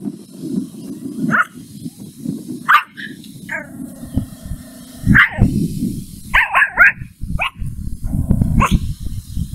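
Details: Angry at a stranger, the puppy Mimi lets out a series of sharp, high yapping barks, some single, some in quick bursts of two or three, over continuous low rumbling noise.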